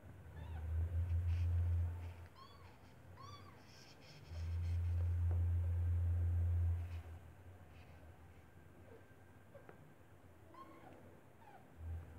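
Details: Newborn white kitten, eyes still closed, with its white stray mother Kartopu sheltered inside an apartment building in cold weather; a few thin, high, falling mews over long rumbling low purr-like bursts.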